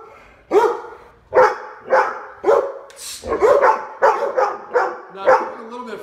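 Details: Labrador Retrievers Lola, Dale and Max, house dogs in Omaha, barking at the front door during a behaviour training session: about nine loud, sharp barks in quick irregular succession, with a person speaking in between.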